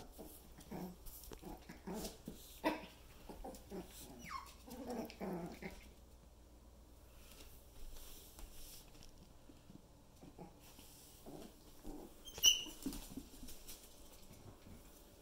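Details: Young male Yorkshire Terrier x Poodle puppies learning to climb stairs: a run of short, high whimpers and yelps, one drawn-out falling whine in the middle, soft scuffling between calls, and a single sharp click near the end.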